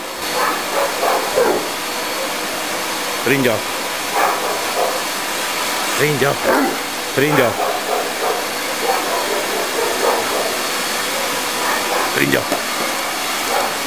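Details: An 11-month-old Tosa inu called Kimu, weighing 60 kg, plays with a vacuum cleaner, giving low, harmonic barks in pairs around the middle and a single one near the end, against the hissing drone of the machine and human voices.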